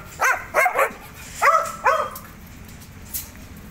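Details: Dogs fighting, giving four short, sharp yelping barks in two pairs, each with a quick rise and fall, with quiet gaps between them and a faint background hiss.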